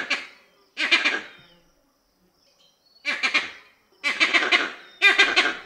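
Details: Vervet monkey, loud and reverberant: four grating, stuttered calls with a pause of nearly two seconds after the first pair, the last two coming in quick succession, each fading into echo.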